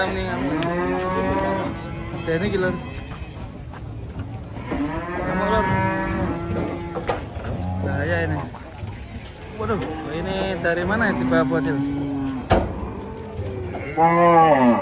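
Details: Enraged cattle, part of a compilation of raging cows, give four or five long, loud harmonic bellows, each sliding downward in pitch, spaced a few seconds apart, with little other sound between them.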